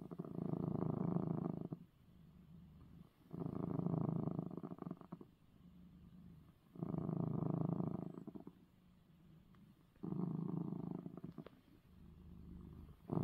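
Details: Male domestic cat purring after receiving his eye medicine; deep, rumbling purr in loud bursts of about two seconds, alternating with quieter stretches, four strong phases in steady rhythm.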